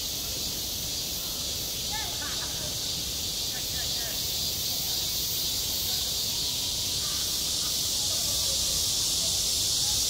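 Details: Cicadas fill a school playground in midsummer with a constant high, hissing buzz that swells slightly toward the end, while faint distant chirps or voices come and go underneath.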